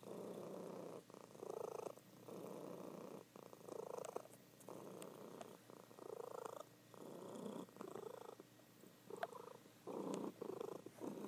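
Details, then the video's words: Loud purring from a pet cat, a she-cat dozing indoors; rhythmic rumbling phases swell and fade with each breath, roughly every one to two seconds, with occasional faint ticks. "Sleeping Cat Purring"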